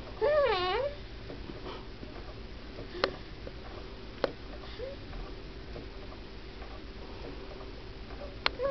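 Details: A sleeping pet cat named Cooper lets out a short, wavering, warbling whine, followed by a faint echo of it and soft clicks in a quiet room.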